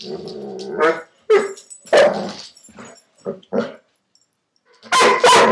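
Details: Dobermann at play, chasing the marble inside a hula hoop, giving a low growly rumble that breaks into scattered barks, with a pause before a final loud pair.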